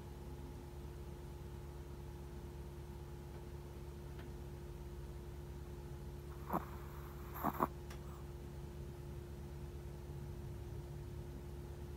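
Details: Near-silent indoor room with steady low electrical hum and a few brief soft clicks or rustles midway; no clear animal voice.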